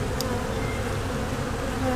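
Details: Honey bee swarm in Louisiana that has moved into a nuc box under a raised house. With the lid popped off, the box is packed with bees, and a dense, steady, low buzzing hum fills the whole recording.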